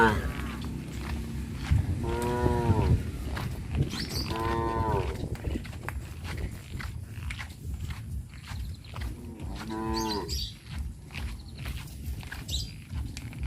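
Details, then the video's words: Tame cows roaming through a village, three separate moos spaced several seconds apart, each a short harmonic bellow, the last one quieter, amid continuous low-pitched ambient rumble and scattered clicks. "Tame cows roam leisurely in the village - Sound of cows"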